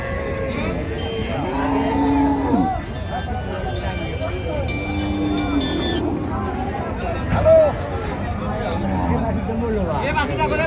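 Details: Cattle offered for sale: several low, drawn-out moos with steady harmonic tones, repeated over about ten seconds, mixed with men talking, background music and passing vehicle noise.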